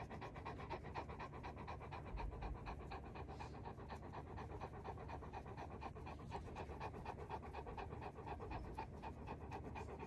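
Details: Mastiff being scratched on its sweet spot, panting steadily: rapid breathy puffs, roughly two per second, continuing evenly throughout over a soft background hiss.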